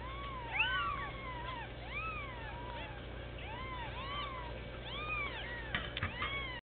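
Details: Several bald Sphynx babies at one week old mew insistently. Short, high, arching cries overlap one after another, and a few soft clicks and bumps come near the end, all over a low background hum.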